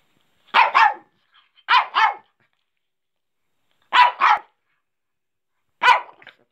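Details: A four-year-old female Shih Tzu, impatient for food and desperate to eat tomatoes, gives sharp, high double barks, begging.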